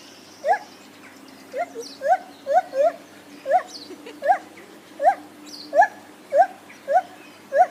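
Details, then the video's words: Lar gibbon giving short, sharp rising hoots repeated about every half second, each a quick upward-bending note with harmonics; faint steady hum beneath. "Lar Gibbons making funny noises"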